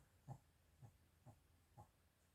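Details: A female Mal-Shi, a Maltese and Shih Tzu cross born in 2017, recorded snoring in December 2023: four soft, short snorting breaths roughly every half second, low and quiet against near silence.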